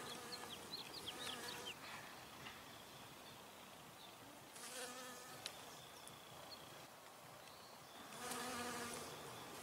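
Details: Honey bee foraging for nectar on flowers, buzzing past in loud bursts near the middle and end, steady low drone with overtones; thin high chirps flicker faintly early on.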